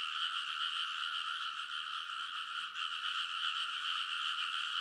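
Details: Large chorus of frogs in a Japanese rice field in Kōnosu, Saitama, late at night in early summer, TASCAM Portacapture X8 recording; continuous overlapping trilled croaks with one momentary dip in volume midway.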